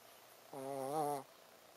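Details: One clear snore from Ponzu the Shih Tzu as it sleeps: a steady, nasal, buzzing tone lasting under a second, slightly wavering in pitch, against near silence.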